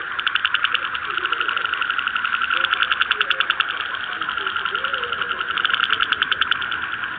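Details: Frog. A frog's croaking comes as a rapid, rattling series of pulses, kept up evenly for the whole stretch. Softer, lower sounds wander faintly underneath the trill.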